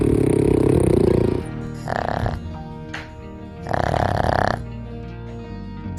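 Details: A sleeping dog snores in two slow, rasping breaths over soft background music; snoring can indicate the dog is enjoying its sleep.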